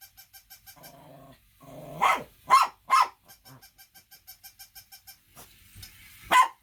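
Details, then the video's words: A dog gives low, droning growl-like sounds, then two loud barks in quick succession, followed by quieter ticking pulses and one final sharp bark. "Funny Dogs Barking to Make Your Dog Bark|| Dog and Cat Funny Video || Dogs Barking Loudly"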